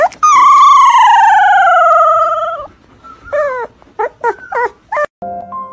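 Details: A found Pomeranian puppy, one of two, whose survival is hoped for, gives a long, high, slowly falling whine, then a run of short yelping whimpers.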